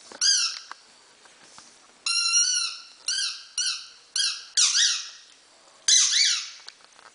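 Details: Five-week-old Havanese puppies, the litter of Teddy and Irie, in a fast series of shrill, arching squeals and whimpers, about seven in a row, some clipped short and others drawn out and sliding downward.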